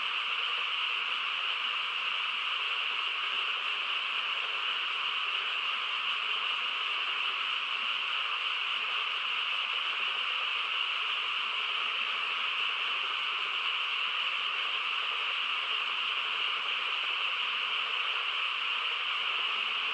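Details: Frogs chorusing on a quiet countryside night: a dense, unbroken droning wall of calls, steady in pitch and loudness throughout, with no single caller standing out and no other clear sounds.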